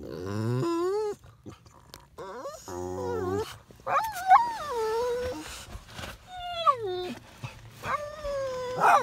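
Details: Pair of Labrador Retrievers working themselves into a loud fit at the sight of a puppy, with long wavering whines and howl-like cries, some sliding downward, repeated in bursts across nine seconds, with a human voice briefly heard.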